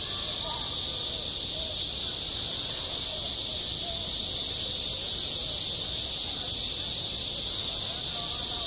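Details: Midsummer cicada chorus over a school sports ground, an even, hissing wall of high buzzing that never pauses, with a few soft lower sounds drifting underneath.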